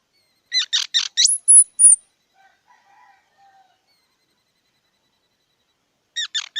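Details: Squirrel giving a burst of five rasping, squeaky barks that end in a thin high whistle, then a long silence before another quick run of clipped squeaks.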